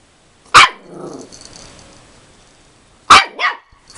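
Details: Thirteen-week-old puppy Rolo barks at his reflection in a mirror: a shrill yap trailing into a soft growl, then after a pause a second yap followed closely by a shorter yelp.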